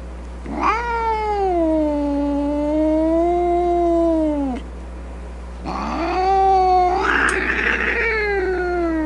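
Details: Grumpy domestic cat producing two drawn-out wails: the first rises sharply then holds a long moaning tone that drops off, the second rises again and breaks into a rough, snarling finish.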